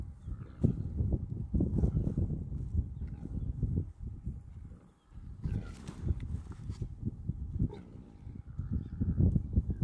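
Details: Rutting male black-faced impalas fighting over dominance in Etosha, Namibia, give rough, low, snorting grunts in bursts roughly every second, pausing midway, with rustling and broadband noise throughout.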